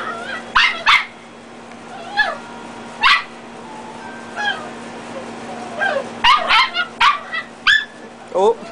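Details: Red and black-and-tan Dachshund puppies play-fighting indoors. Their short, high, harmonic yips and barks come in quick bursts of two or three with brief pauses, over a steady low hum and a person's voice.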